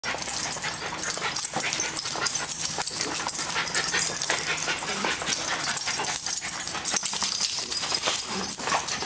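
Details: Dogs Zeus and Snapple playing together at daycare in January 2012; short sharp barks and yips burst out over a steady loud hiss of room noise.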